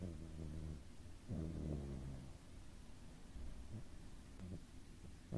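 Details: Doraemon the cat asleep and snoring: two drawn-out, low, buzzy snores in quick succession, then fainter short breaths, with an air purifier droning in the background.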